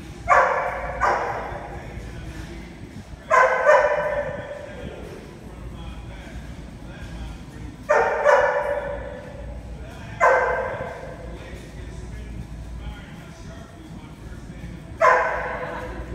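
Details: Rhodesian Ridgeback at enrichment puzzle games, giving six loud, punchy barks at irregular intervals of one to five seconds, some doubled, separated by quieter stretches of low room noise.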